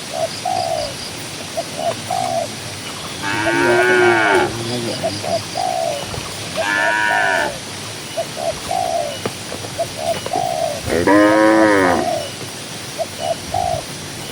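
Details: Tame cattle grazing in a cool green countryside pasture give three rich, fairly high moos, each about a second long and several seconds apart, between steady short whistled bird notes.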